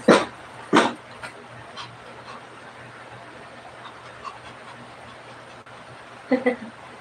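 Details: Shih Tzu heard during a night livestream: two sharp, loud barks in quick succession at the start, then a quiet stretch with faint sounds and a low steady hum, and another short bark burst near the end.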